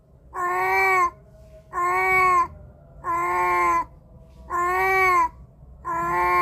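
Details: Cat meowing, captured with a Samsung A53 phone mic: five even, slightly arched, tonal meows of about three-quarters of a second each, evenly spaced about every 1.3 seconds over quiet low background hum.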